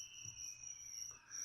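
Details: Feeder crickets for a leopard gecko give a thin, high, sustained trill that runs almost unbroken, with a faint lower tone and soft background murmur.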